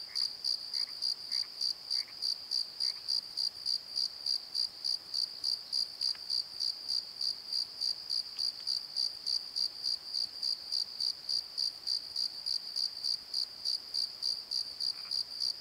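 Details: Night chorus of crickets in a valley bottom at the Pozo Night Tree, Nikon D7100 recording: a steady, shrill pulsed chirp repeating rapidly throughout, a few faint croaks in the first seconds, otherwise a quiet background.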